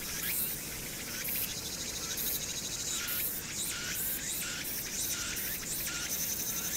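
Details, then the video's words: Cicadas on Hwangnyeongsan on a summer night, 1 August 2019, with the city audible behind them: high, rasping buzzy bursts starting and stopping irregularly, several callers overlapping above a persistent low drone of traffic. "황령산(Hwangnyeongsan)의 여름 매미소리"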